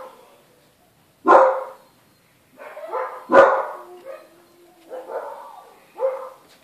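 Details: Two loud, abrupt yelps from newborn Siberian Husky puppies, each followed by a softer falling whimper and a brief faint whine, with silence in between.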